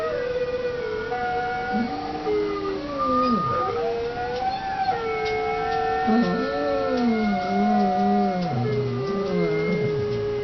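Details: Dog howling in repeated wavering swoops, rising and falling in pitch, with several overlapping tonal lines and faint human voices in the background.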